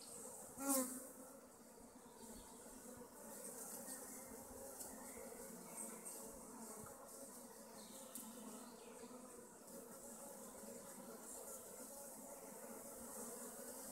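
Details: Honey bee colonies at hives in western Augsburg, a steady dense hum of many bees buzzing without pause, with one brief louder buzz of a bee passing close early on.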